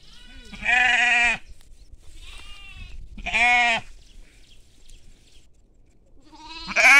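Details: Sheep and lambs on agricultural land. Two loud, nasal, wavering bleats of about half a second each, spaced a few seconds apart, with a fainter bleat between them and another beginning at the end over a light rustling background.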